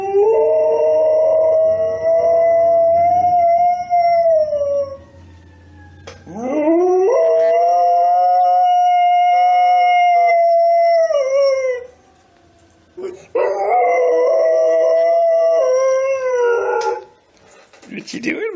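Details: Pet dog Mica howling in three long, sustained, smooth tones, each holding steady before sliding down at the end, separated by brief pauses, with a short rough cry at the very close.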